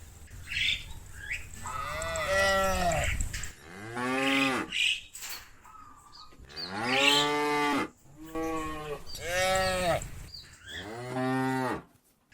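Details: Herd of cattle mooing to call friends home to the barn; a run of overlapping moos, some deep and some higher and strained, each rising then dropping, repeated every one to two seconds with few pauses.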